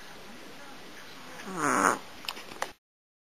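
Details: Maru-chan, a pet cat, snoring while asleep: low background breathing, then one louder, rough, harmonic snore near the middle lasting about half a second, followed by a few faint clicks before the sound stops.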